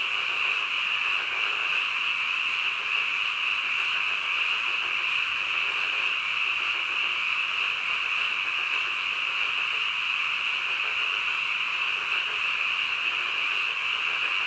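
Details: Frogs calling in the middle of the night: a dense, unbroken chorus of many overlapping callers forms a steady high-pitched trilling wash at an even loudness throughout, with faint lower pulsing beneath it.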